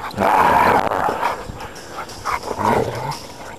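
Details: Husky, an old male about ten years old and a rescue dog, vocalizing in a drawn-out, wavering whine-howl near the start and again after a pause, with a quieter muffled stretch between.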